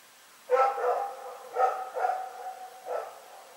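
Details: Rex, a dog, barking in the night, recorded February 27, 2018: four hoarse, harmonic barks, one opening the clip, then a close pair and a final bark, over quiet background hiss.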